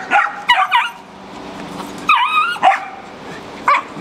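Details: Shelter dogs at a rabies control facility in Jackson, Tennessee, including puppies: several high, bending yelps and whimpers in short bursts over steady background noise.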